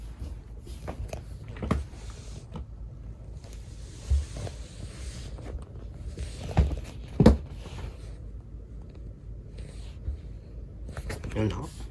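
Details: Quiet indoor room sounds with scattered thumps, rustles and footsteps, and no animal voice heard.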